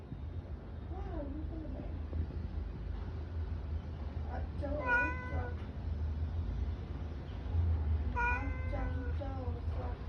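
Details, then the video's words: Pet cat meowing three times at spaced intervals, each call a clear, tonal, slightly wavering mew rising then falling, with a low constant hum and faint talking behind. "Meow Meow"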